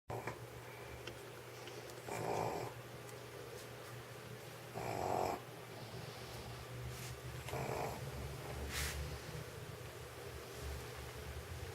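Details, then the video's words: Old stray dog sleeping on a warm studio floor in Sheregesh after eating sausage, snoring like a human: soft, breathy, rasping snores roughly every two and a half seconds over a steady low hum. "Собака спит и храпит, как человек."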